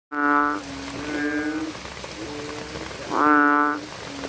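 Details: Bullfrogs calling at night: two loud, drawn-out, harmonic croaks open and close the stretch, with softer overlapping calls from other frogs between them over a steady hiss of rain.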